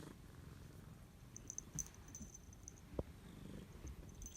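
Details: Thirteen-year-old rescued female patched domestic cat, back home from a night out, purring in a good mood as if greeting her owner indoors; a steady low rumbling purr with fine rapid pulsing and faint higher ticks above.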